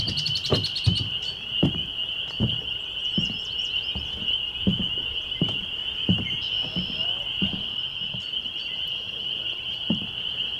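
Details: Spring peepers calling on a May 2021 evening at Laurel Creek Conservation Area, Waterloo, Ontario, Canada: a dense chorus of high peeps blends into a steady ringing band, with repeated low thumps throughout and a few brief bird chirps.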